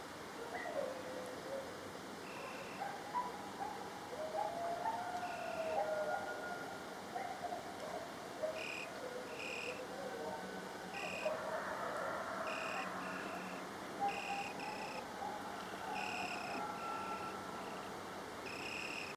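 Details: Coyotes howl in wavering, sliding tones, breaking into a burst of higher yips midway through.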